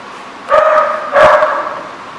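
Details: Dog giving two loud, drawn-out barks with a whining, tonal quality, about 0.7 seconds apart, against a steady background hum.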